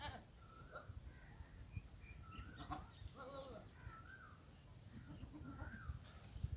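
A goat gives a wavering, nasal bleat over a steady low rumble of wind.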